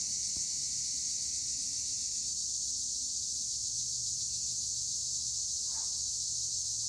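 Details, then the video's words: Olive-tree chorus of tree crickets, Acheta assimilis, at Edremit/Güre, Turkey: an even, high shrill wall of sound without pauses, one faint click early and another soft knock near the end. "Tree cricket noise in Olive trees - acheta assimilis"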